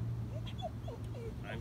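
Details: Hypervigilant, hyperactive male Australian Shepherd, three years five months old, at the start of a training session to learn to listen and keep calm: several short, thin whines bending up and down, with a steady low hum and faint talking.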